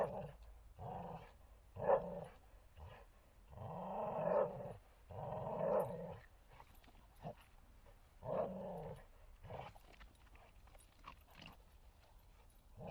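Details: Bull Terrier playing in a forest, giving repeated rough growls in bursts of about a second, several in a row with short gaps, some rising into harsher throaty grumbles.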